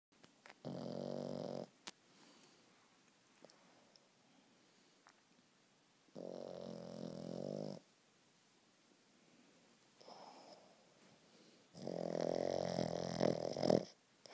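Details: A Boston Terrier lying squished snores in long, rough, rattling breaths with quiet pauses between them.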